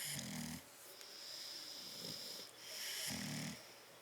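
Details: Sleeping bulldogs Tyson and Tyra in a crate, 10/30/12: two loud buzzing snores about two and a half seconds apart, with a thin whistling wheeze on the breaths between.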